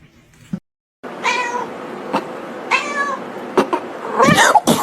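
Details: Pet cat meowing indoors: two drawn-out, whining meows that bend downward in pitch, followed by a harsher, strained cry, with clicks and knocks around them.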